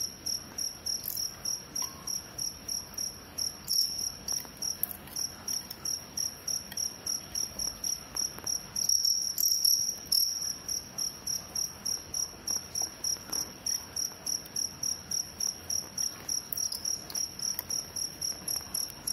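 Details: Two crickets fighting, giving a steady, rapid run of short, bright, high chirps at roughly three a second, with a brief rustling disturbance midway.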